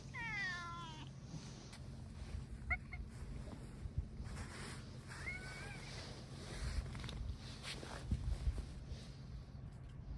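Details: Stray tabby cat coming over with an 'unyaa' meow; a drawn-out meow opens, then a fainter meow follows around five seconds in, over steady low rumbling background noise and a few soft clicks.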